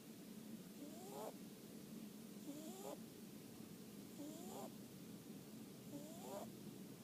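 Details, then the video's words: Rabbit asleep on a Sunday afternoon, snoring steadily: four breaths, each ending in a thin upward squeak with a faint hiss, spaced under two seconds apart over low background hum. "Snoring of the rabbit."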